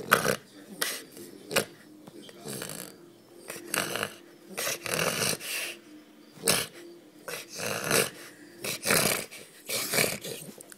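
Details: A French Bulldog making funny sounds, giving repeated short snorting grunts and throaty growl-like grumbles roughly every second, each burst harsh and breathy, with a person talking between them.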